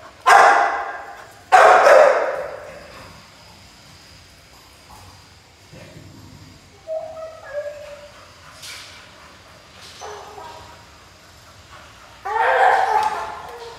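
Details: Playful Pit Bull puppy giving scattered barks: two sharp, raspy barks at the start, soft whining squeaks mid-clip, a brief yap, then a final harsh bark burst at the end, with quiet pauses between.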